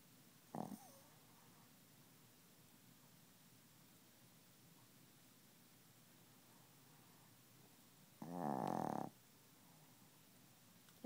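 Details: Chihuahua snoring while asleep and not waking; a faint brief snort at the start, a long quiet stretch, then one harsh, rasping snore breath near the end.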